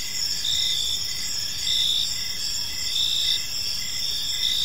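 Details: Gentle cricket chirping in a serene park at evening: stacked high, ringing trills run without pause while a lower short chirp repeats at an uneven rhythm, all over quiet background noise.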